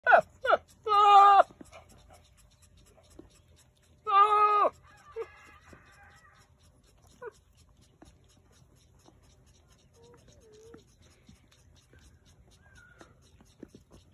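A male goat gives loud, quavering, nasal bleats in short bursts during the breeding season.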